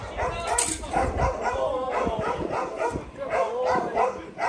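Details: Kolohe, a challenging male Rottweiler in his first bite-work session, barks rapidly and repeatedly while a person talks over him.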